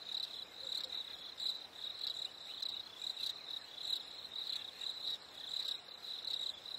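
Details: On a warm summer evening, crickets repeat crisp high chirps roughly twice a second, layered over a constant thin high-pitched background trill.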